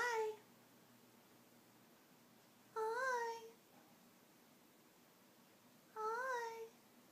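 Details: Indoors in New York City, Blu, a blue Scottish Fold tomcat born in March 2012, is pestered so he won't doze off. He answers with three drawn-out meows that rise then fall, roughly every three seconds, against a hushed room.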